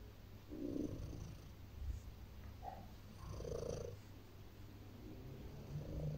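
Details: While she kneads and settles onto her owner to rest, a house cat keeps up a low, rhythmic rumbling purr that swells and eases in slow pulses, with soft fabric rustles over it.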